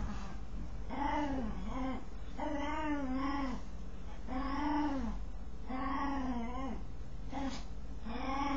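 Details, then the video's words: Odd vocal noises from a dog as it scratches itself: rounded, humming moans that rise and fall, several doubled, repeated roughly every second with a faint click near the end. "Dog makes strange noise while scratching itself"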